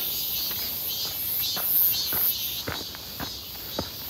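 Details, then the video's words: Cicadas near Seonbawi on a bright, scorching 1 August 2023 midsummer day: an intense, high, pulsing buzz, with a brief louder surge near the middle, accompanied by a few crisp footsteps during a walk. "산책 부쩍 많아진 매미소리 한여름에 뜨거움 예상"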